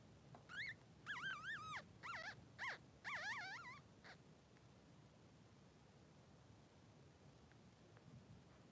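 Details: A brief run of high, bending squeals from newborn Blenheim Cavalier King Charles Spaniel puppies, 3 days old, in the pen with mother Pom-Pom, followed by several seconds of low background hum.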